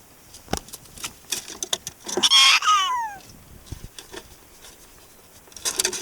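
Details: Prairie dog Sumomo, a pet stroked on the neck after the owner returns home, gives a loud bright squeal dropping steeply in pitch, surrounded by scattered soft clicks and rustles.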